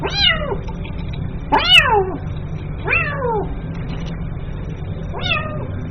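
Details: Calling for its mother, a kitten gives four plaintive, descending meows at uneven intervals, the second loudest with a sharp click at its start, over a faint low rumble.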